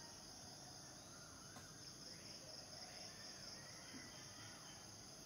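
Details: Cicadas, males singing to attract mates: a steady, high, finely pulsed drone runs unbroken through the whole stretch, with faint, indistinct bird notes and low background rumble beneath.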